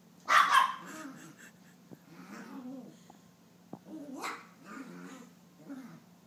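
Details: Nine-month-old female Maltese chasing her tail indoors just after a bath: one sharp high bark opens, followed by low playful growls and grumbles in short bursts, with a couple of light taps.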